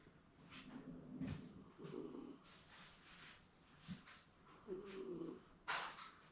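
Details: Pet Shiba Inu in a contented indoor afternoon nap, perhaps dreaming, gives two low rasping snores a few seconds apart, separated by quieter breathing, light snorts and small rustles.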